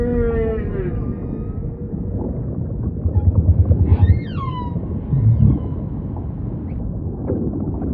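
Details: Humpback whale singing over deep ocean rumble: a falling moan opens, then a burst of low pulses, a swooping whistled downsweep with bright harmonics, and scattered short upward cries fading into the background.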